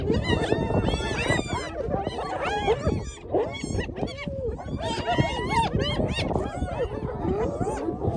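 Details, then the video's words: At a carcass left by sated lions, hyenas jostle while feeding, captured on iPhone; a continuous clamour of high cackles and bending squeals over rumbling low growls, briefly easing near the third second before resuming. "Hyenas take over lions meal"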